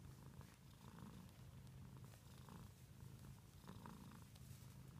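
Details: Domestic cat giving a continuous low purr, its rumble broken by soft rhythmic breathing swells about once a second, with a few faint clicks.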